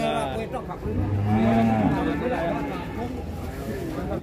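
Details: Limousin Belgian cattle lowing: one low moo rising in pitch for about a second, then softer murmuring and background voices over a steady farmyard hum.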